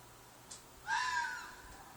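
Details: Fox calling from a field behind an apartment block: a single loud, harsh, hoarse shriek lasting about half a second, slightly falling at the end, over quiet background with faint clicks.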